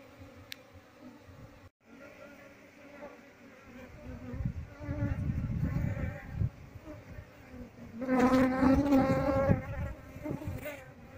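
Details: Honey bee colony being moved into a cultivation box, the colony following its queen wherever she is placed; a steady droning buzz with a layered harmonic hum that swells loudest around eight seconds, then eases, over low rumbling handling noise.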